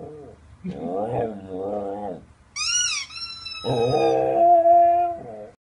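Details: Samoyed dog imitating a chicken toy: drawn-out, wavering whining howls, then the toy's shrill squeal, then the dog answers with a long, rising and falling yodel-like howl that ends in a short whine.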